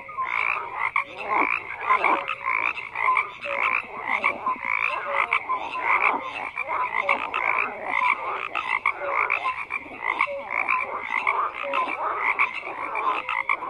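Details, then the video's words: A thick frog chorus with many callers croaking at once, rapid rhythmic pulses of raspy calls stacked over each other, a steady wall of sound throughout. "FROGS CROAKING"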